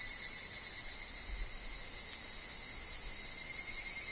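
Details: Evening cicadas (higurashi) sing together in woodland, with wind and falling leaves. A continuous high-pitched ringing wash of many callers, with a fine rapid pulsing and a steady thin lower whine.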